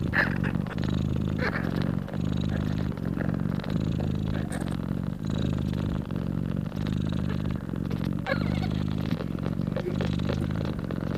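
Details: Mother cat purring loudly while nursing her newborn kittens; a continuous low, rumbling purr with steady rhythmic pulses roughly every second for the whole stretch, with a few faint higher rustles or clicks.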